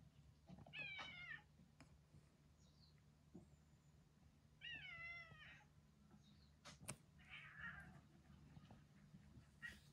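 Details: Old retired boss cat in home end-of-life care after years ruling a residential neighbourhood; two quavering, drawn meows about four seconds apart, fairly quiet, with faint knocks and a low background hum.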